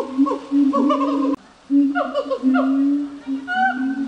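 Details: Gibbon calls: sustained low tonal notes broken by a brief gap, then quick wavering slides and rising notes. More than one voice seems to overlap.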